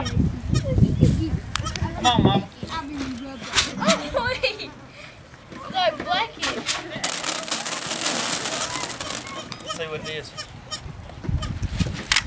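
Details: A baby goat on a farm bleats with high, wavering cries calling for its mother, who finally comes, while people talk nearby over music.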